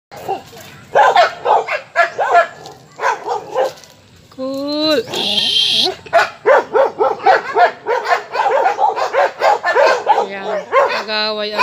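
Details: Aspin dog barking in repeated sharp, harmonic bursts, several per second in places, with a brief high whistled tone near the middle and a short tonal sound near the end.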